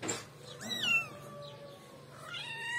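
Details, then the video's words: Kitten meow indoors: one high call slides down into a long, drawn-out falling whine, then a second rising meow begins at the end, with a soft click at the start. "Yavru Kedi Sesi"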